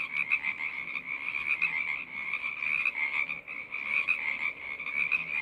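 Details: A frog choir of many callers gives a steady, piercing trill, the dense overlapping notes rising in loudness in small waves throughout, with nothing else clearly heard.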